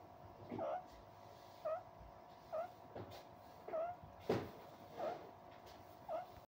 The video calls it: звуки суриката Машки